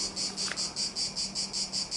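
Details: Cicadas in a cedar tree about 15 metres high sing a loud, shrill, dry buzzing chorus, now with more of them and louder than before, pulsing about four times a second over a faint low hum.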